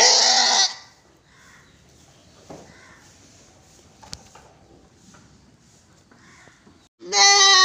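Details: Goat on a farm in Gulbarga, Karnataka: a strong quavering bleat cut short at the start, then about six seconds of quiet farmyard noise before another loud bleat begins.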